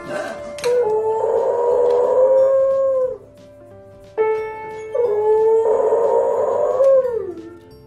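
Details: Domestic dog 'singing' along: two long, wavering howls, each lasting about two to three seconds and sliding down at the end, separated by a short pause, with soft music in the background.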